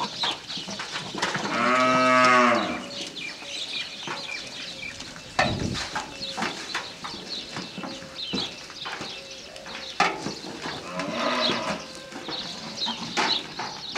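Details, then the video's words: Goat mating call after giving birth: one loud, drawn-out harmonic bleat lasting about a second, then a fainter bleat near the end amid scuffling, clatter and farmyard noise. "goat mating call"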